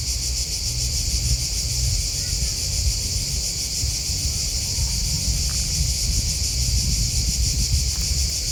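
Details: Continuous cricket chirping: dense high-pitched trilling pulses form an unbroken wall of sound, with a constant low rumble underneath and a few faint brief ticks.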